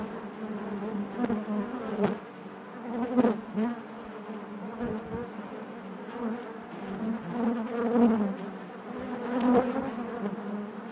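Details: Many honey bees buzzing together in their hive, a rich low hum that rises and falls gently, with occasional sharper buzzes and soft clicks from bees moving close by.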